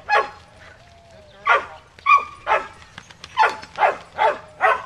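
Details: A Shetland Sheepdog called Cammie herding sheep at Performance Dogs in Action, Sacramento area, California, summer 2010: single bark, pause with a faint whine, then a steady string of loud barks roughly every half second.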